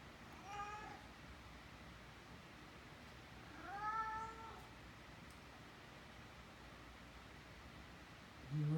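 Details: Abbie the cat rubs her head on the nose of Mikey, a six-month-old Great Dane puppy, indoors; a short meow, then a longer arching meow about three seconds later, with a brief human voice at the end.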